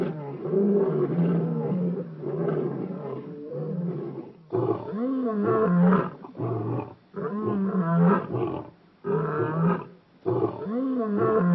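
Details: African lions filmed around Shingwedzi in Kruger National Park: a series of deep, grunting roars in separate bursts about a second long, with short pauses between them, rising and falling in pitch.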